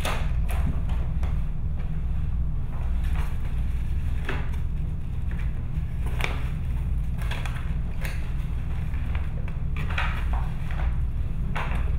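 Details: Scattered crackles and soft knocks sound over a constant low rumble; no animal voice is heard.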